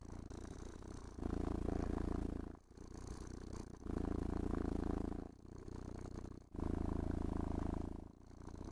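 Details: Happy house cat being combed and caressed, giving a rich low purr indoors; throbbing vibration swells loud then quieter in regular breathing cycles, around six cycles across the stretch, light scraping of the brush behind.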